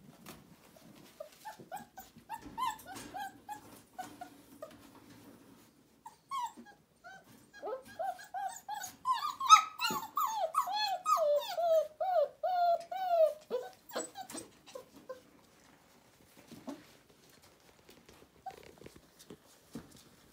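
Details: Indoor litter of four-week-old puppies trained to a litter box: soft scattered squeaks build into a quick burst of high, wavering whimpers mid-way, then taper off to faint shuffling.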